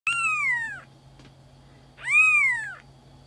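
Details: Black-and-white Maine Coon kitten from a breeding cattery in Tokyo, Japan, giving two clear, high meows about two seconds apart. Each rises briefly and then slides down in pitch, with a faint steady hum in the background.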